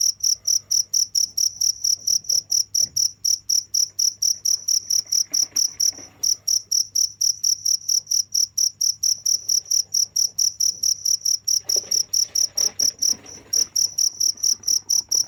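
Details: Nonstop cricket song of sharp, high chirps, about four to five per second, holding steady with two brief gaps, while faint rustling and a low hum sit in the background.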